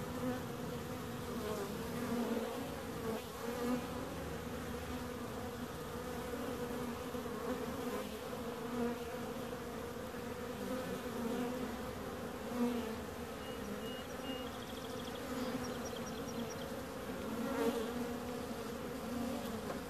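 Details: A continuous swarm-like buzz of bees, holding two steady humming bands with small swells in loudness every few seconds; faint high, thin tones flicker briefly near the end.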